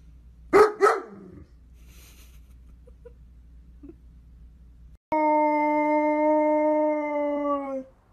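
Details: Dog in a compilation of howling dogs and puppies: two short broadband yelps, then a sustained steady howl with a falling end lasting about three seconds.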